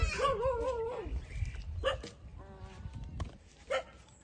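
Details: Young puppies aged 27 days nursing from their mother give a wobbling whine first, then short sharp yips spaced about a second apart, with low rustling beneath.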